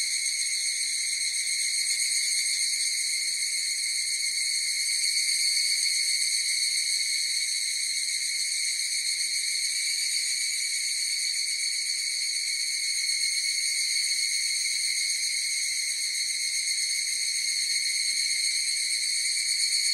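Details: Chorus of higurashi cicadas: a steady, dense, shrill ringing of layered high tones that holds an even loudness throughout, with a faint fine pulsing and no other sounds.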